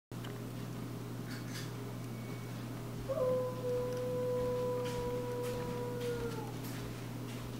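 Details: Nemo, a roughly six-month-old pet husky sitting on the back deck while stretching into a downward dog, gives one steady mid-pitched howl lasting about three seconds, tailing off slightly downward, over a constant low hum.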